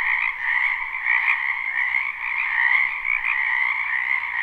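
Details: Many frogs croaking together in a spring wetland behind a home, live recording with no looping; a constant shimmering trill chorus, pulsing slightly, filling the whole stretch.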